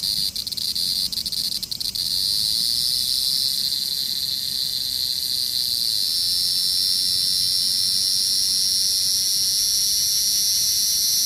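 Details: Cicada calling: a continuous, shrill, high-pitched buzzing drone that holds steady for the whole stretch, with a few faint clicks near the start.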